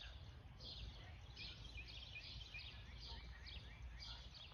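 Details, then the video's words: Squirrel calling while looking at the person: quick series of high, downward-sliding chirps in short bursts about every second, with steady low outdoor rumble underneath. "Squirrel just looking at me and making noises!!!"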